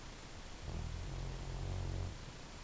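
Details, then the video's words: A sleeping silver Labrador named Elvis lets out a single deep, droning snore lasting under a second and a half, a steady low rumble that swells and fades in a quiet room. "Elvis the dog snoring"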